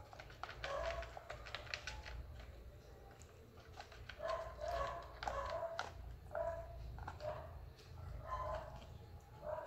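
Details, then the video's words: Persian kitten calling out from hunger: clear, repeated short mews, often in pairs, roughly every second, with light clatter and a low room hum behind. "Cute Persian kitten is hungry"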